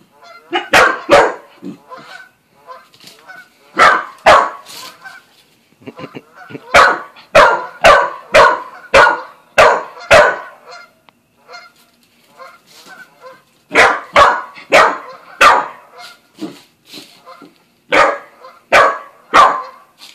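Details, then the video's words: Buzz, a young Australian Shepherd and Corgi mix newly added to the family, barks at Bread Bandit the cat on one of their first meetings: sharp, loud barks in quick bursts of two to five, with short pauses between volleys. "Buzz meets Bread Bandit the cat"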